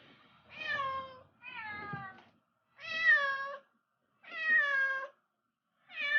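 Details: Returned home after six years, the former street cat Hong gives a run of clear meows indoors, five in about six seconds, each slightly falling in pitch and evenly spaced by pauses.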